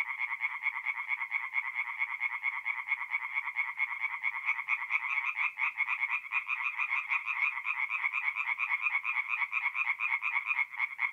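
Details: Tree frogs in full night chorus at a forest pond, North-East Italy, mid-April; steady, high rattling croaks repeat rapidly and blend into one continuous pulsing wall of sound.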